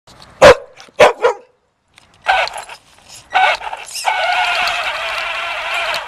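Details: Puppy chasing a remote-control car: three sharp, quick barks in the first second and a half, a short pause, then the toy car's steady high whining motor takes over with scattered knocks and rattles.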